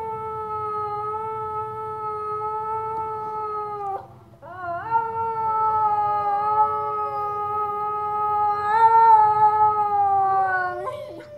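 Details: Dog howling in response to David Attenborough's wolf call; a long, steady, mid-pitched howl held for about four seconds, a brief break, then a second sustained howl rising slightly in strength toward the end.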